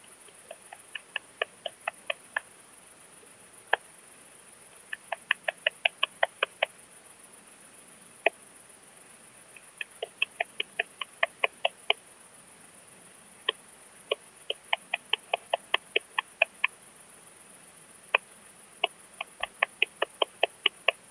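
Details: Eastern saw bush-cricket singing at Kleinziegenfeld, Germany, on 12 August 2021: short, sharp dry ticks delivered in loose bursts of several pulses, separated by irregular pauses, repeating through the recording over a quiet background.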